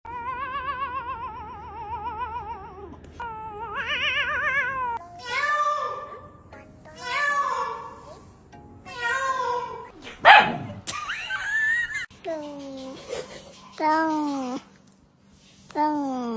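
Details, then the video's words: Pet cat meowing in a series of drawn-out, harmonic-rich calls, several with a wavering, trembling pitch, others short and falling, separated by brief pauses, with a sharp burst near the middle. "cat funny sounds"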